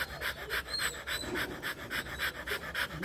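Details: Rottweiler dog during mating, breathing in fast, steady panting pulses, roughly three to four breaths each second, each a breathy rasp, with no other clear sounds.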